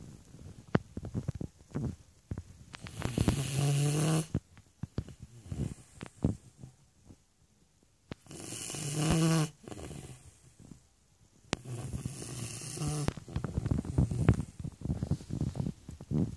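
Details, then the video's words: Shar Pei named Stefani snoring: three long, rasping, low rumbling snores with a buzzy hum, about four seconds apart, separated by quiet breathing and small clicks and rustles. "Шарпей Стефани храпит."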